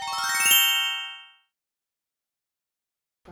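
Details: A bright chime rings out and fades into silence, followed by a brief low sound at the very end.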